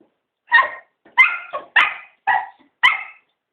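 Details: Cocker spaniels, three dogs begging to be taken for a walk; six sharp barks at irregular intervals of about half a second, bright and clear, in a quiet indoor setting.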